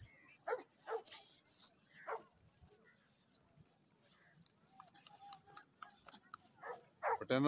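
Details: American Bully during a dog fight match in Pakistan: several sharp, harsh barks in the first two seconds, a quieter stretch of scuffling and murmuring voices, then loud, rough barking bursts at the end.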